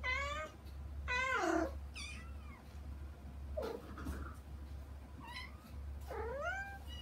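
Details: Young kittens Saba and Kagishippo calling for mother cat Hana behind frosted glass, kept out of the front room; several loud falling meows, a brief low murmur midway, steady low hum beneath.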